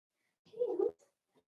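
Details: Four-week-old Cavalier King Charles Spaniel puppy in a pen with its litter: one short, mid-pitched whine of about half a second, slightly wavering, then a faint trailing squeak in a quiet indoor room.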